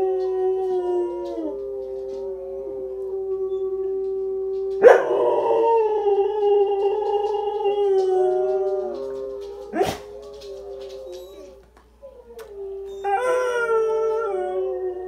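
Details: Blaze, a dog, howling in long, steady, tonal notes that waver slightly, swelling louder and higher around five seconds and again near thirteen seconds, with a short sharp click near ten seconds.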